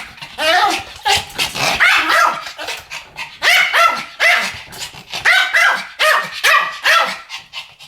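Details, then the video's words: A Pomeranian duet of shrill, high-pitched barks, repeated steadily about twice a second throughout, with overlapping yaps from the pair. "ポメラニアン Pomeranian デュエット吠え 1000回 犬の鳴き声"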